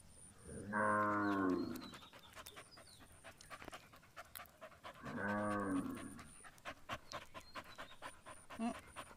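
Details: Punganur cattle at milking time with a calf drinking milk: two deep, harmonic-rich moos about a second long, roughly four seconds apart, over clicking and shuffling noises and a faint steady high tone.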